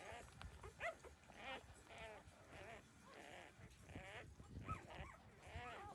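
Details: Thirteen-day-old puppies suckling milk from their mother make bent, nasal whimpers and squeals in close, overlapping bursts, with soft low shuffling noises underneath.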